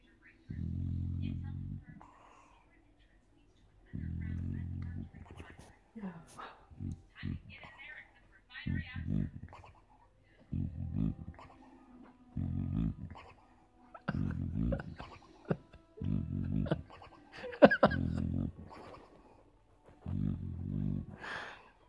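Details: Millie, an 8-year-old boxer, dreaming and snoring while asleep at night: low, rumbling snore bursts every couple of seconds, each about a second long, with quieter snuffles, soft whimpers and breathy sounds between them.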